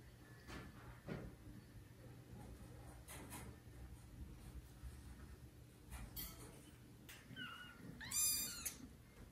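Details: Domestic kitten, one of a litter of four, meowing loudly to call its mother, who does not come to it. After scuffles and thumps, two high, shrill, harmonic-rich meows come near the end over low room hum.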